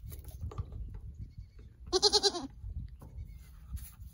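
A Nigerian Dwarf goat kid gives one high, wavering bleat with a quick vibrato.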